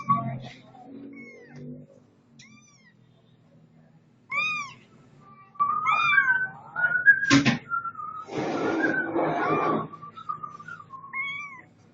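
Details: A domestic cat named Setty meows several times, short arched cries rising and falling, alongside a sharp click, a burst of rustling noise and a faint background hum.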